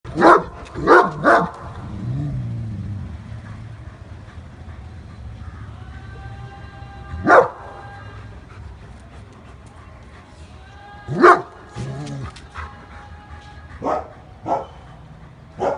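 An angry German Shepherd gives deep, forceful barks, first in a quick burst of three, then singly.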